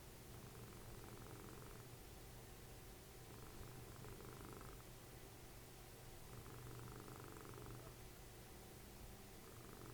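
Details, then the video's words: Dessie, a cuddly domestic cat and mother of Fritjof, snoring while cuddling as a TV plays; a low rumbling purr-like snore swells in roughly one-and-a-half-second breaths, pausing briefly between them, with a steady quiet room hum. "Snoring machine, cuddly cat, Dessie"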